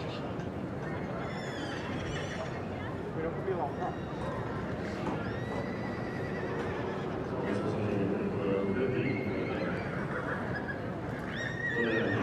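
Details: Young Welsh Cob colt aged three neighing several times in shaky, wavering calls, with hoof clopping and a constant murmur of human voices behind.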